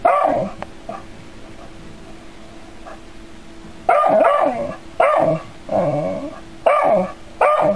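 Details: Dog, curious but scared, facing an android robot cat: after a quiet start, four sharp, tonal barks with rising-falling whine in between, irregularly spaced about a second apart, indoors with a steady low hum.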